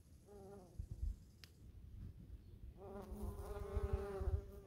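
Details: Bees at false stonecrop (sedum) blossoms in a country garden in Germany alongside bumblebees; a short droning buzz, then a longer, louder hum lasting nearly two seconds, over low rumbling background noise.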